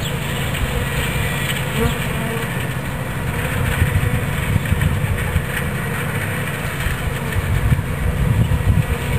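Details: Captured bee swarm being moved into a new hive body, Watkinsville, Georgia; loud low buzzing drone of many bees, rising and pulsing slightly in intensity toward the end.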